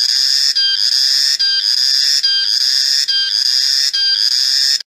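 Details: Loud shrill song of a cicada, called reriang or riang-riang locally, in pulsed phrases repeating about every 0.8 seconds, each opening with a sharp stutter before the sustained high buzz, ending abruptly in silence.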